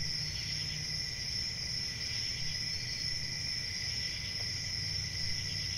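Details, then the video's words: Crickets trilling continuously in a shrill, layered chorus with a faint wavering pulse, above a steady low rumble. "Cricket Sounds"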